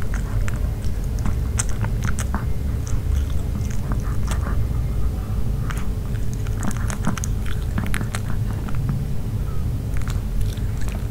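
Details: Nino the dog eating a grilled pork pouch, recorded up close without talking: sharp wet bites and crunchy chewing clicks, several per second in irregular bursts, over a steady low rumble.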